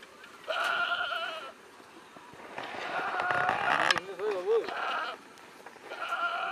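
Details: Goats at a goat farm in Nagaon district, Assam, India. Three loud, drawn-out bleats of about a second each, strongly tremulous. The middle bleat dips into a lower wavering moan. Background chatter runs underneath.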